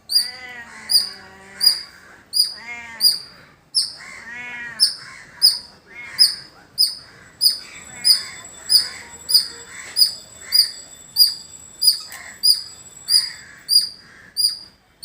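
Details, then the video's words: Squirrel in a village setting giving a long, steady series of shrill chip notes, roughly one every 0.7 seconds, with some lower squawking bird calls early on. "Beautiful Squirrel Making Sound"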